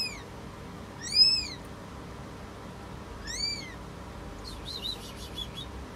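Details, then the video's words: High-pitched arched mews with strong overtones from a British Shorthair cat giving birth, two clear calls about two seconds apart, then a faint chirping, all over a constant background hum. "CAT GIVING BIRTH. British Shorthair Live Giving Birth."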